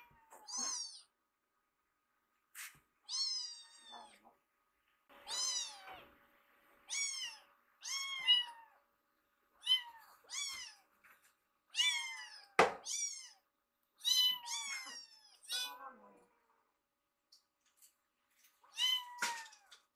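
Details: Foster kittens Piyo and Yuki sit in a row inside a home, waiting for their meal once they notice the smell of food. Thin, high, arching mews repeat roughly every second, with a few soft clicks between.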